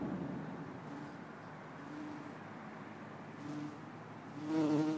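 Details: Bumblebee recorded in Lisbon on 4 December 2011, a low humming drone that fades in and out in short bursts, then swells into a louder, steadier buzz near the end.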